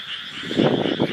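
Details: Frogs croaking outdoors on a hot night, as they do every night, though not at their noisiest; low pulsed croaks swell in short bursts over a steady high-pitched drone.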